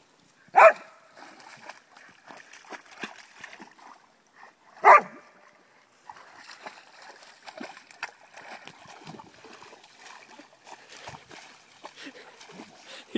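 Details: Pet dog Flowjo swimming and playing in a frog pond gives two loud, sharp barks about four seconds apart, followed by steady splashing and sloshing water.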